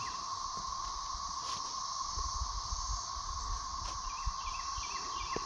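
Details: A massed chorus of thirteen-year periodical cicadas emerging in 2024, heard from a dog yard, a steady, droning whir that never pauses.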